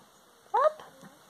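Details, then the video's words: A female pet rabbit gives one short, nasal, slightly rising honk while excited. She honks this way when greeting, asking for food, or eating treats, and is not angry or distressed. "Happy Honking rabbit noise"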